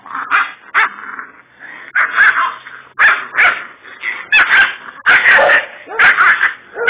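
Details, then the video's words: Young Kangal, a little puppy called a fighter dog, Kurdish: sharp high yips and barks about once a second, mixed with whiny, whimpering tones between the louder bursts. "Kangal Puppy Fighter Dog Kurdish"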